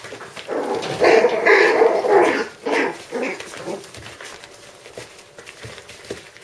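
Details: Five-week-old puppies vocalising indoors, a run of overlapping whines and yelps over the first three seconds, fading into softer whimpers and background noise.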